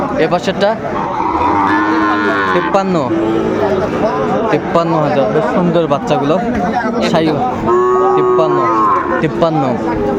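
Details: Sahiwal bull calves being sold at a Comilla cattle market, Bangladesh, 13 August 2024. Long tonal lowing opens the recording and returns near the end, half buried in loud overlapping human talk and market bustle.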